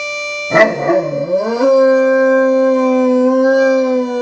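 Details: Great Dane puppy, five and a half months old, howling along with a harmonica heard for the first time: a wavering, sliding howl gives way to a long, steady, drawn-out tone.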